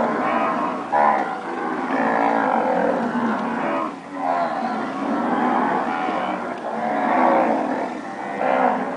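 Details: Purebred standard Nelore cows that have calved, mooing in a herd; several overlapping low, drawn-out harmonic moos follow one another across the stretch with only brief pauses between them.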